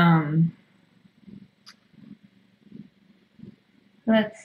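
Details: Domestic cat purring on a Tiny Kittens Society rescue live cam during a late-night visit indoors: soft, low, rhythmic purr pulses about three per second, framed by brief human speech at the start and end.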